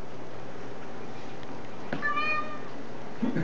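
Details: A chatty Siamese cat makes a brief, fairly quiet tonal meow like "hello" in a quiet room, with a faint hum behind it and a soft thud at the end.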